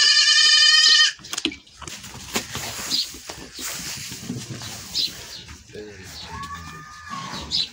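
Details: After milking a goat runs away, opening with a loud, harsh bleat of about one second, followed by low rumbling, handling noises and a fainter wavering cry later.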